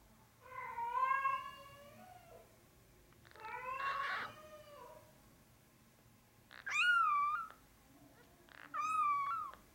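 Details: A male Norwegian Forest Cat kitten, brown (black) classic tabby and white, born 8 March 2020 and recorded about 13 March 2020 at five days old, gives four drawn-out, tonal meows in a quiet room.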